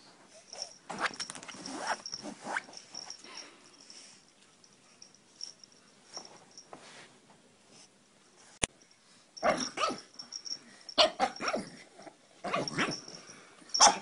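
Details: Pug from a humorous compilation: bursts of harsh, breathy snorts and wheezes come in clusters with quieter gaps between, over a faint constant high-pitched whine.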